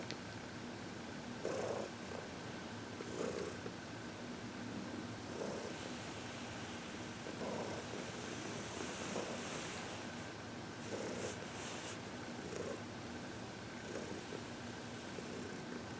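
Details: Senior cat Heidi, aged 14 and adopted from the Humane Society of New York City, purrs contentedly during a massage and reiki session on February 22, 2021, a soft unbroken low drone punctuated by periodic brushing and rustling sounds.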